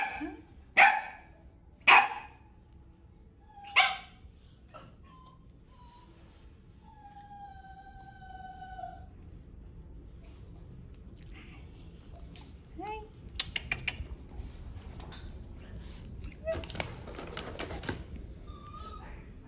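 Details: A 12-year-old white female poodle mix gives three loud, sharp barks in the first four seconds, then thin, drawn-out whining tones. Later come brief yelps and bursts of clattering noise.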